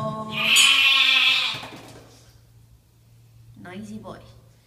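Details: A male pet lamb answers when his name and his owner's voice are heard, giving a single strong, nasal baa lasting about a second and a half, followed by quiet human speech.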